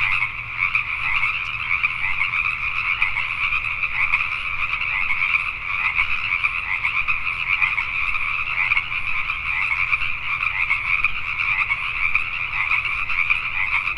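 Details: Nighttime chorus of Pacific tree frogs in Richmond, British Columbia, Canada. Many frogs croak at once in a continuous, even wall of sound with a bright upper band, and a low rumble runs underneath throughout.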